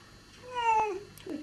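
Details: Bengal cat indoors during the birth of her kittens: one loud, clear harmonic meow that rises and then falls, followed by a short, lower, rougher cry, over a quiet room background.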